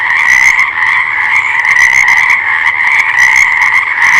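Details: Dense frog chorus, many callers overlapping into a continuous, rattling two-toned drone with faint pulsing throughout.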